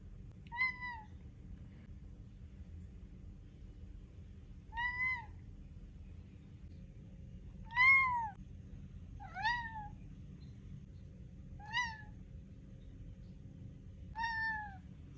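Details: Male pet cat demanding his food at mealtime and refusing to stop until fed: six loud, tonal meows spaced roughly every two seconds, some rising then falling, a few with a wavering bend, against a quiet low hum.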